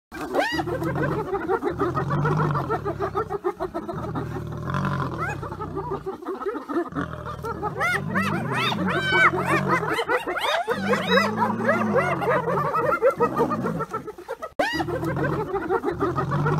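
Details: Hyenas giggle and scream in rapid, rising-and-falling yelping bursts, densest in the middle stretch, over a low, steady droning rumble in the background.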